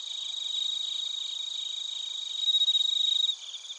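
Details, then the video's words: Bell crickets and other crickets recorded in Narita, Chiba, Japan using a TASCAM Portacapture X8. A close, loud, quick-pulsed high chirping swells, with a bright, ringing, bell-like trill rising above the chorus before dropping away. "スズムシとコオロギの鳴き声 - Chirping of crickets"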